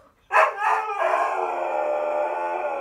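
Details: Zeus, a stubborn Siberian Husky, protests dramatically about going for a walk, opening with a sharp bark-like burst, then sliding into a long, even, harmonic-rich howl that holds for nearly two seconds.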